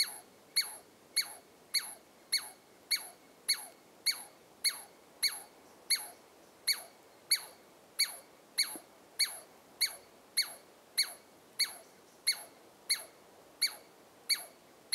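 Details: A Douglas squirrel (Tamiasciurus douglasii) at Carpenter Saddle, Carpenter Mountain, H.J. Andrews Experimental Forest, Oregon, gives sharp, high-pitched alarm calls, repeated steadily almost twice a second.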